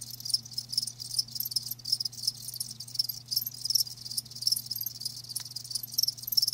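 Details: A group of live crickets gives rapid, high, rasping chirps in overlapping bursts, steady throughout, with a soft click near the end and a low hum underneath.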